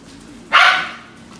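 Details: A Pembroke Welsh Corgi at a kennel in Om Noi, Samut Sakhon, Thailand, gives a single sharp, bright bark that fades quickly.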